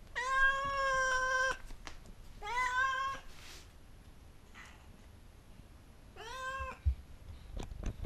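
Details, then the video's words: A white Oriental cat, a curious female, follows the camera to look at something in a person's hand. She utters three clear, harmonically rich meows: a long one, a shorter rising one, and a brief final one, separated by quiet pauses. "Talking white Oriental cat"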